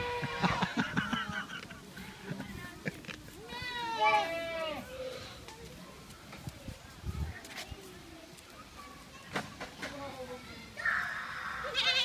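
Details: Young goats at a children's petting farm. One tremulous, wavering bleat comes at about four seconds, with other short bleats in between, among children's and adults' voices speaking Dutch.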